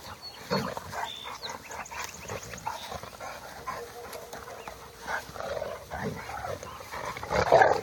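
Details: A Bullmastiff crossed with a Boerboel gives scattered short, harsh calls, one near the start and a louder burst near the end, over steady background noise and some faint talking.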